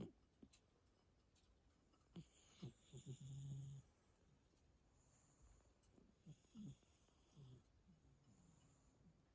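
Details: Two sleeping cats snoring indoors: soft, low, rumbling snores come in short bursts, with one longer drawn-out breath near the middle and a few quieter snores later, over a faint hushed background.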